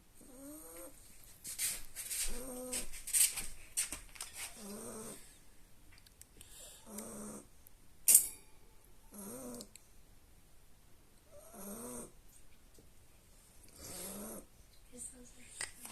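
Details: Two-month-old Staffordshire bull terrier puppy fast asleep and dreaming, snoring loudly: short, low, nasal tonal snores come in bursts roughly every two seconds, with scattered sharp clicks and rustles between breaths indoors.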